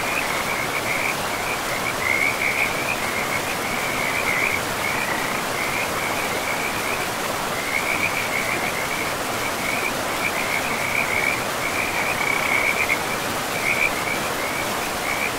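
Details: Frogs by a forest river produce repeated high, clicking trills in clusters, pausing briefly before starting again. The calls rise slightly above a continuous roar of running water throughout.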